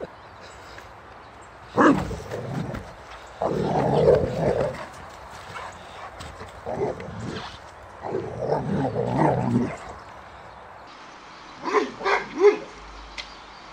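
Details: Boxer Rex at play, chased by a bucket and refusing to let go of the ball in his mouth; bursts of rough growling barks in several clusters, then sharp yips near the end, with scraping noises.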